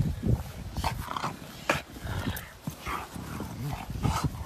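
A Rottweiler gives deep, gruff barks in short bursts.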